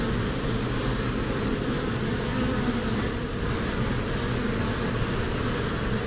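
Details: A steady droning hum of honeybees, busy among flowers in spring, with low humming tones that hold evenly and a constant level from start to end.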